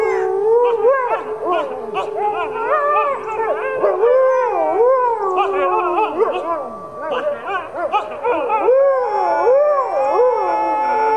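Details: Four captive critically endangered red wolves, including two 9-month-old pups, howl at the Wolf Conservation Center in South Salem, NY with other wolves, including an Arctic gray wolf and Mexican gray wolves, in overlapping, wavering voices.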